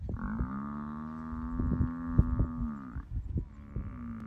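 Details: Buffalo being eaten alive by a hyena while it lay sleeping, giving a long, steady, low moaning bellow for nearly three seconds that ends abruptly, then starts a second bellow, with thuds and crunching sounds underneath.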